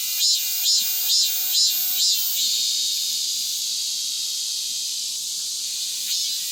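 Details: A cicada, singing hard after the monsoon rains, opens with five strong pulsed beats roughly twice a second, then holds a continuous high, shimmering buzz.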